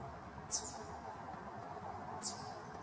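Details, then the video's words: Warning call of a wild Eastern chipmunk, June 11, 2023: a pair of short, shrill, falling chips roughly 1.7 seconds apart, the first louder, above a faint continuous low-pitched background murmur. "wild chipmunk clucking (alarm) sounds"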